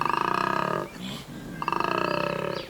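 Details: A large male koala (Phascolarctos cinereus) bellows at Cape Otway, Victoria, in spring at the start of breeding season, seeking a mate; a harsh rasping roar in rapid pulses, broken by a grunting inhale.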